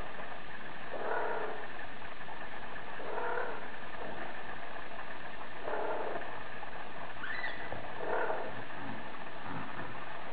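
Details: Female Bengal cat calling: five drawn-out, hoarse meows repeated roughly every two seconds, fairly muffled, over a constant low background hum.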